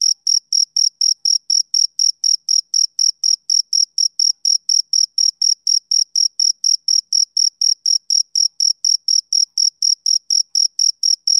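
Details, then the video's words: Male cricket chirping in a steady, unbroken series of short, high, shrill pulses, about four per second, with even loudness throughout and no other sounds present. "Cricket Chirping Sound Effect"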